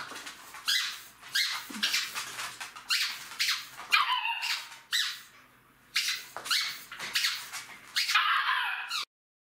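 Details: Three-month-old Jack Russell Terrier puppies give rapid, squeaky yips and scuffling bursts while playing with their mother.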